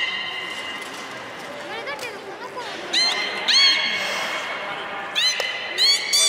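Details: Beluga at Port of Nagoya Public Aquarium, 23 March 2019, eating fish in an unusual way and playing afterwards; high harmonic whistles and quick upward-sweeping chirps, louder bursts near three and five seconds, over a steady murmur of visitors' voices.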